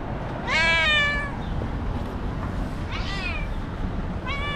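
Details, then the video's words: Screaming white cat in an aggressive mood: one loud, rich, wavering yowl near the start, then two shorter rising cries later, with low rumbling noise underneath. "Psycho Cat That Screams and Hits: Angry White Cat"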